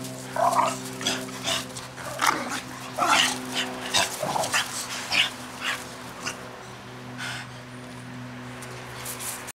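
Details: American Bulldog puppies playing, giving short high whimpering and yelping squeaks in irregular bursts over a steady low mechanical hum.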